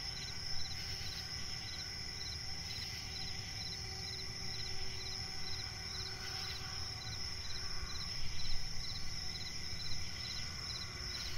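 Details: Nighttime forest swamp ambience dominated by crickets, steady shrill whine overlaid with rapid rhythmic chirps, several short louder rasps scattered across the recording, and a noticeable deep rumbling background.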